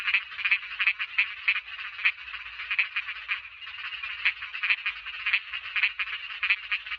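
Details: Thai small frogs in full chorus: a steady, buzzy trilling bed with sharp, clicky croaks standing out roughly every half second, many callers overlapping with no other sounds.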